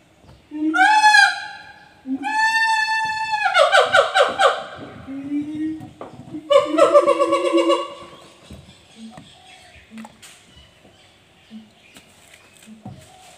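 A siamang calls loudly: long drawn hoots break into fast, rising, pulsing barks and whoops.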